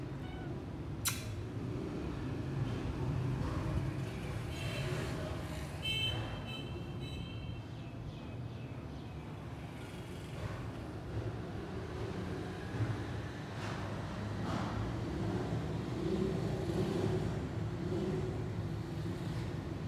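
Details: A thirsty cat searching for water, looking frustrated, gives one drawn-out meow about six seconds in. Before and after it there is only low rumbling background noise and a few faint clicks.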